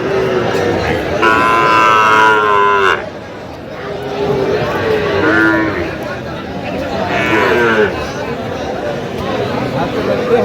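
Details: Sahiwal bull calves at a cattle market, 25 October 2025: a loud, rich moo of about two seconds, a pause, then two more shorter, wavering lows, with men talking and general market bustle behind.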